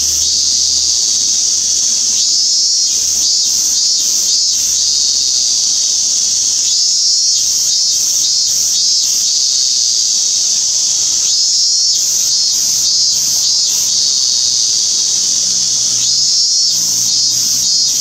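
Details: A cicada, possibly a Minmin cicada (Hyalessa maculaticollis), recorded on 17 August 2016, gives a loud, steady, shrill drone that fills the air, with faint pulsing swells throughout.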